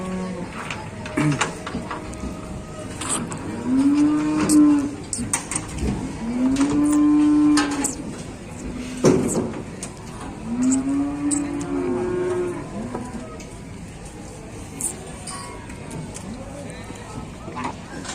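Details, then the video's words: Agitated cattle amid a fighting commotion at a crowded morning livestock market in Indonesia: three or four arched, hoarse moos spaced a few seconds apart, over clattering, sharp knocks and a murmuring crowd. "Ada sapi gelut geger geden"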